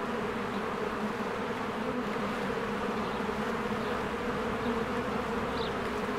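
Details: Springtime bees crowd around their hive entrance, coming and going and making a constant low buzz layered from countless wings. A short high bird note appears near the end.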